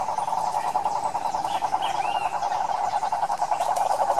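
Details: Cane toads calling in the wild Pantanal of Brazil: a continuous rapid pulsed trill at middle pitch dominates, with a few faint wavering whistles and soft background noise.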